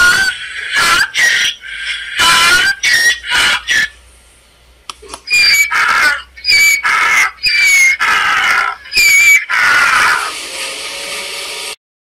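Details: Harsh, screeching donkey bray in rhythmic bursts, a few strained notes, a brief lull, then a faster string of alternating squeals and gasps that trails off into quiet.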